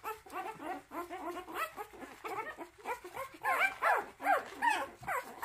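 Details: A motherless puppy being bottle-raised by hand, day three, cries in quick strings of thin, wavering squeals, rapidly repeated and growing louder and more insistent toward the end.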